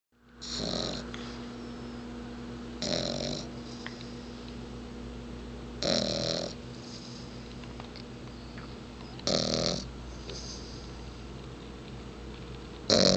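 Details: A little bulldog sound asleep snores in slow, regular breaths, each a broad raspy snort lasting under a second and coming about every three seconds, with a steady low hum between them.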